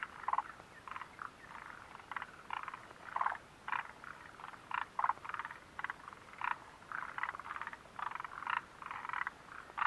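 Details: Frogs calling near the Mitsuishi refuge hut on 29 June 2013: a dense chorus of short, rattling croaks in quick bursts, several callers overlapping with little pause, over a quiet, hissy background.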